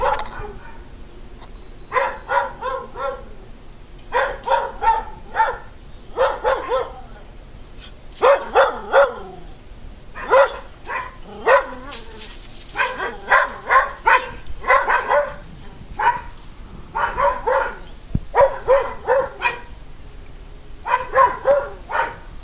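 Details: Several dogs barking loudly at the person recording, in bursts of two to four sharp, harsh barks repeated every one to two seconds throughout, with brief quiet gaps between volleys.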